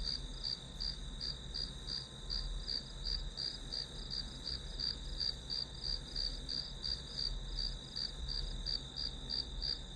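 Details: Grass insect calls heard during a study session meant as white noise: even rows of high, bright chirps, roughly three each second, over a constant high whine, with low-frequency background rumble throughout.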